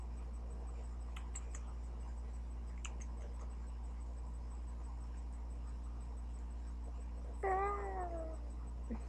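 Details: Chester, a young pet cat almost one year old, indoors, gives a single short falling meow near the end after quiet clicks and taps over a steady low hum.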